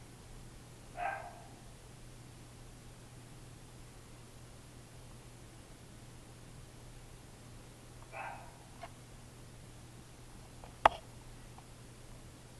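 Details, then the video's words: Lap dogs barking: two short, sharp single barks spaced about seven seconds apart over a quiet background with a low steady hum, followed by a brief loud click. "lap-dogs barking"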